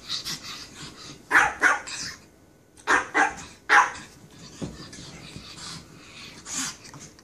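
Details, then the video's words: Japanese Chin giving bright, high-pitched barks, mostly in pairs close together, then a run of softer, fainter yaps toward the end. "Barking Chin"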